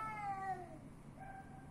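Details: Street cat in Athens, Greece, giving a drawn-out meow that slides gently downward and fades, with a quieter second meow near the end over low steady background hum.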